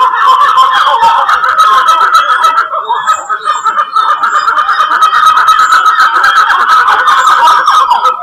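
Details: A troop of black-fronted titi monkeys, two watching the recordist curiously, calls together in a dense, loud chorus of rapid, overlapping pulsed notes; Serra da Mantiqueira, Pindamonhangaba, São Paulo, Brazil, January 2018.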